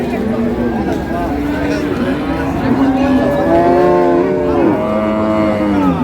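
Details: Repeated lowing at a Dinajpur cattle market, Ambari Haat, where dairy cows and calves of improved breed are traded on 7/6/26: several deep, wavering moos follow one another, with constant human chatter and traders calling out.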